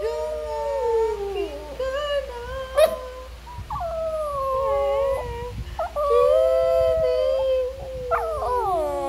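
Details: Shih Tzu dog singing: a series of drawn-out, wavering howls, each sliding up then falling, with whimpering yips between phrases, over about nine seconds.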